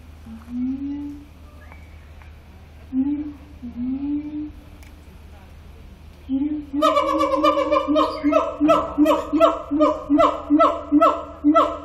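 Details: Siamang song recorded at Zoo Antwerpen: a few rising, wavering hoots spaced a couple of seconds apart, then a sudden fast series of loud, buzzy harmonic barks about every half second.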